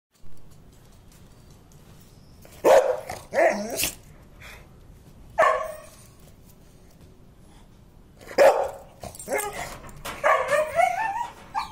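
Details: Labrador Retriever dog barking: four or five loud, separate barks spaced a second or more apart, a few in a quick pair, with a longer rough call near the end and quiet pauses between.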